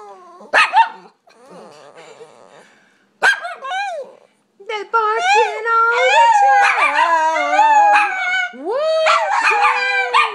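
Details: Pups giving sharp barks and a buzzy grumble, then breaking into overlapping wavering howls that rise and fall, several voices at once, with some human talk mixed in.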